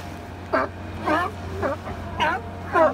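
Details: A California sea lion napping with others at Second Beach, Powell River, British Columbia, gives a string of hoarse, harmonic barks about every half second.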